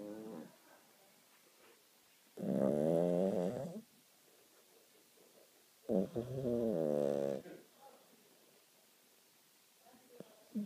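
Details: Cat snoring while asleep: two long, loud, buzzy harmonic breaths, each about one and a half seconds, roughly four seconds apart, with soft quiet breathing between them indoors.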